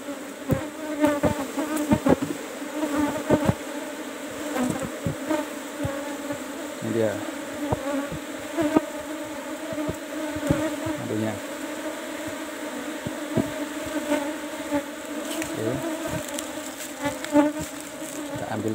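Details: Honey harvest at a managed Apis cerana colony, box number 17: a continuous low drone of many buzzing Asian honey bees, broken by frequent sharp clicks and knocks from handling the hive frames.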